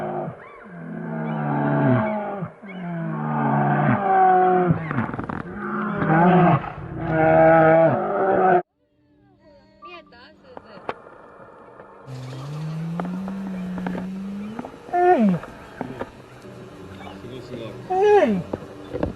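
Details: An Asian black bear gives loud groaning moans with strong harmonics for about eight seconds. After a break comes a quieter stretch of thinner, rising and falling calls with scattered clicks.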